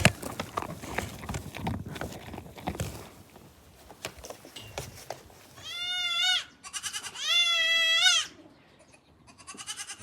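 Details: Black goat kids on a goat farm. After several seconds of scuffling noise, three loud, wavering bleats ring out, each about a second long, with the last fainter and cut short.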